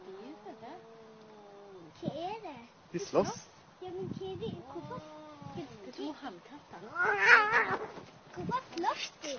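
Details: At noon, a fight between two cats: wavering, moaning caterwauls rise and fall, then a sudden loud harsh burst of spitting and screeching, followed by quieter growling cries.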